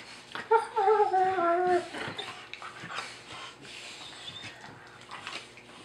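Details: German Shepherds Lyon and Nellie, two dogs from New England in Maine, play biting indoors. A short, high, wavering whine sounds for about a second, then scuffling, panting and soft thumps of the rough play follow.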